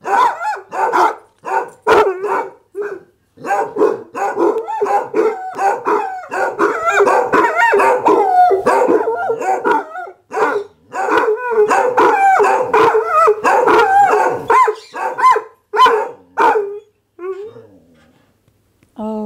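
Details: Dog in a long howling bout, dense irregular barks and yelps about 83 per minute with wavering howl-like stretches, tapering to scattered whines near the end.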